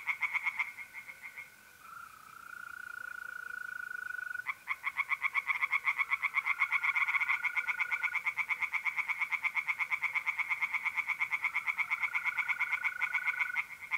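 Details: Tree frogs in a pond in north-eastern Italy on an April night. After a short lull that leaves a mole cricket trilling alone, a loud, fast pulsed chorus resumes and keeps going to the end.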